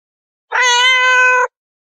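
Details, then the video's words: Domestic cat uttering one clear meow of about a second, steady in pitch with a slightly breathy onset and rich overtones, stopping sharply; nothing else audible. "meowing cats ( gatos miando"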